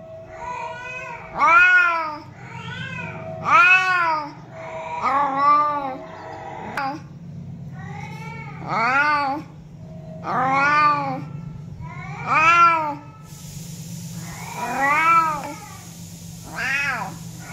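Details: Domestic cat meowing to attract other cats: a long series of loud, drawn-out meows, each rising then falling in pitch, repeated roughly every one to two seconds over a steady low hum, with a faint hiss entering near the end.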